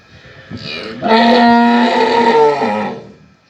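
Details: A mother cow loudly screaming and calling her calf at feeding time: one long, harmonic-rich moo lasting about two seconds, held steady then fading, preceded by a brief softer lead-in.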